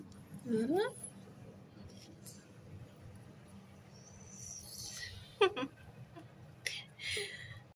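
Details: A mother cat and kittens at their meal. Two brief meows sweep sharply upward, one near the start and one midway, between soft rustling and scraping sounds.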